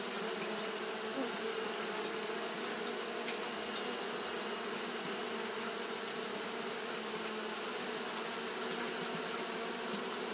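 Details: Continuous fanning buzz of Japanese honey bees on a hot day, a thick, even hum from many wings with no pauses, layered under a persistent thin high hiss.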